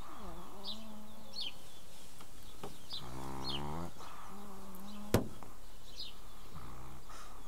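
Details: A Pekingese snores in low, droning, faintly whistling breaths while small birds chirp in the background.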